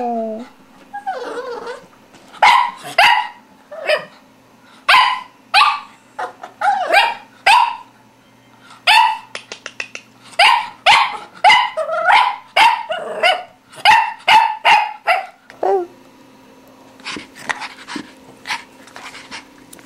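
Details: English Toy Spaniel puppy Boo, four months old, stuck on a chair while playing with a ball, barks sharply and rapidly, short high yaps repeated about twice a second, with a brief whine at the start and end.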